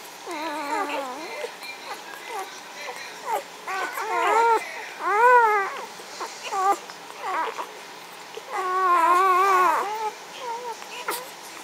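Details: Magyar Vizsla puppies of the B litter at the vom Elsterhaus kennel, 14 May 2015, calling together in overlapping high, wavering whines and yelps that rise and fall, some drawn out, with short gaps between.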